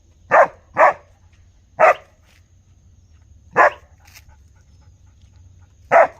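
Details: Single dog barking: two quick barks, a third after a pause, then isolated barks spaced roughly two seconds apart, each short and forceful against a quiet background.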